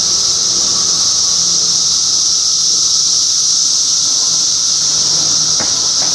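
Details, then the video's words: Cicada chorus in Middlesex County, New Jersey, June 2013: a dense, unbroken high-pitched droning hiss at steady loudness from many insects, with a faint low hum underneath and a brief click near the end. "Cicada Symphony"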